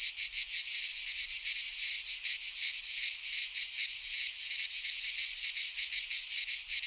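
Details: In a Greek pine forest at midsummer, many cicadas sing together: a shrill, sizzling buzz that throbs in fast, fairly even beats, continuous from start to finish.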